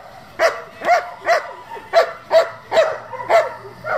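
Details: German Shepherd of a working and competition line, with a steady run of forceful barks, evenly spaced a little under half a second apart and ringing with bright overtones.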